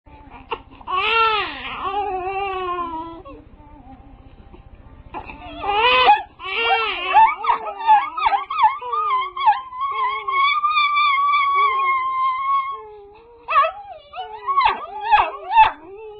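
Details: Dog crying: long, wavering whines and howl-like cries, some rising and falling, one held fairly steady for several seconds, then short, sharp yelping whimpers toward the end; a quiet room otherwise.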